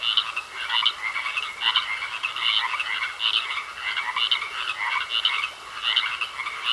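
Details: Several frogs croak together in a pond, short rasping bursts recurring at a brisk, near-regular beat above a persistent high-pitched hum.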